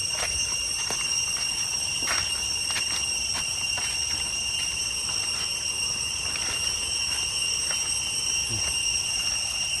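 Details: Cicadas droning in the jungle on the way to Chhay Yong Waterfall, Areng area, Koh Kong Province, Cambodia: an unbroken high, shimmering whine, punctuated by repeated crisp ticks and footsteps, with a faint voice-like murmur late on.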